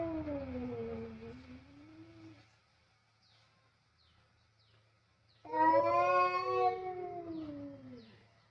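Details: Two male cats facing off over food in a kitchen, fighting loudly: a drawn-out falling yowl fades after two seconds, then a louder harmonic-rich wail rises and slowly descends, with a low steady hum beneath.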